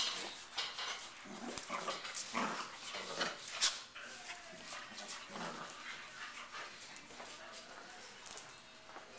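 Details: Pit bull and Labrador mix named Roo, a dog with no front legs, wrestling with two other dogs, Nala and Heidi; scattered short noisy bursts of play growling and scuffling with thin whines, mixed with rustling movement.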